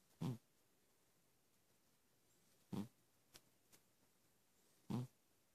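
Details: Snoring Persian cat: three short, rasping low snorts evenly spaced about two seconds apart in a quiet room, with a couple of faint ticks between.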